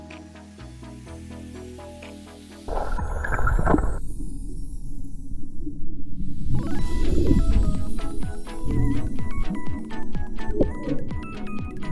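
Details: Instrumental music fills the recording, with a quiet layered passage giving way to louder, busier tones and percussive beats; no animal voice can be picked out.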